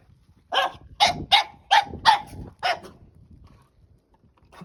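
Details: Playing with a stick, Margo the French Bulldog puppy fires off six short, sharp barks over about two seconds, roughly evenly spaced, then falls quiet apart from faint rustling and one soft final sound.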